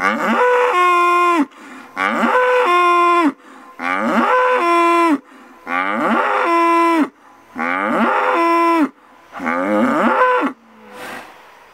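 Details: Bull bellowing on a paddock near Großensee, Germany, in autumn: six loud, drawn-out moos roughly every two seconds, each starting low, jumping abruptly to a higher held tone, then cutting off, with quiet breaths between.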